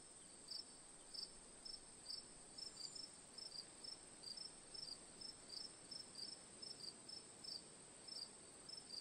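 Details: Chirping crickets for sleep ambience, quick high trilled chirps in short bursts about twice a second, layered with a steady shrill background buzz and low rumbling noise.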